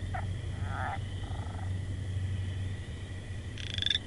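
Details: A frog gives a few faint, short croaks early on, then one louder buzzy, pulsed call near the end, with a constant low droning hum throughout.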